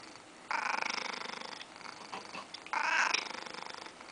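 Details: A loud 14-year-old male Siamese cat gives two rough, throaty meows with a pulsing, purr-like rattle.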